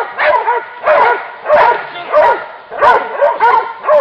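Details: A pack of hunting dogs after wild boar gives bursts of high, arched yelps and barks, grouped in clusters roughly every half second, with short dips between volleys.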